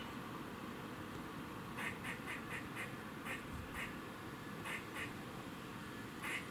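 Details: A squirrel in Cambridge, UK, on 27 September 2019 around 3:16 pm gives harsh, duck-like warning barks in short bursts over a steady low background rumble.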